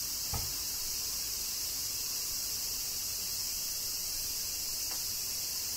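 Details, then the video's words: In Kyoto, Japan, cicadas keep up a constant high, sizzling buzz during summer rain, with a faint knock near the start and another soft tick later. "Cicadas Summer Rain - Zen Sounds of Kyoto, Japan"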